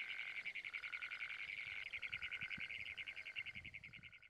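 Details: Great Plains toad: a long, rapid metallic trill of fast pulses, roughly ten per second, continuing without break, with a lower steady tone beneath and a quiet background.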